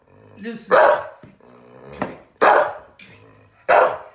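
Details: Staffy Ridgeback cross bitch scolding her owner for laughing at her: low grumbling growls broken by three loud, harsh barks, roughly one every second and a half, indoors.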